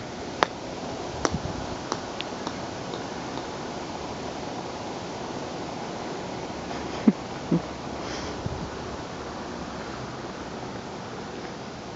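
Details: Even indoor hiss with a few sharp clicks and taps, likely a ball bouncing, and no animal voice.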